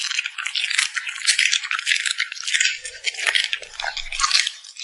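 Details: Puppy smacking its lips while eating: a dense, steady stream of crisp, high clicking and crackling wet mouth sounds, with faint low thumps near the end.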